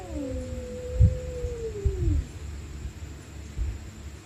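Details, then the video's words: A stray cat screaming at night during a fight: a sustained wailing yowl slides downward and fades, with a few dull thuds and low rumble around it. "Stray Cats Screaming At Night||Angry Cats Growling Sound|Cats Fighting Sound"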